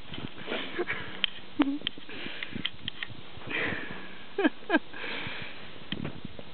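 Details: Karelian Bear Dog puppy named Brewski playing in snow in a back yard: quick bursts of breathy sniffing and snuffling, with a few sharp clicks and short squeaky whines between them.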